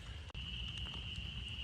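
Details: At night in March, in rain by vernal pools and a road, a dense spring peeper breeding chorus merges into one continuous shrill ring over a low rumble; very few chorus frogs are still calling.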